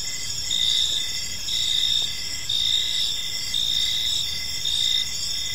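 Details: Gentle chirping of crickets in a serene evening park, bright high trills over a lower chirp pulsing nearly once per second in even bursts, set against soft low background noise.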